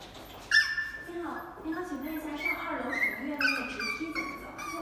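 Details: Poodle puppy named Popcorn, learning over several days to walk up and down stairs, giving thin high whines that start sharply and hold, then waver and repeat a few times, with people talking over them indoors.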